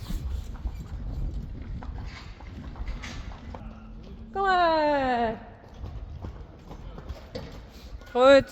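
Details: One of two Friesian foals being weaned together in an arena at Stal G. A ringing, wavering neigh of about a second slides down in pitch, then a brief second call near the end, over quiet hoof sounds and faint background noise.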